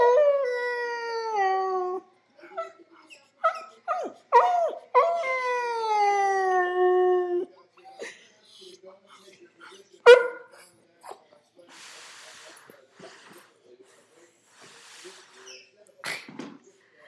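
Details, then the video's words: Sad male puppy upset by a squeaky toy that keeps sounding: a two-second falling howl, several short yelps, then a long mournful howl drifting lower over nearly three seconds, later one sharp yelp amid quiet rustling and handling noise. "puppy roar!"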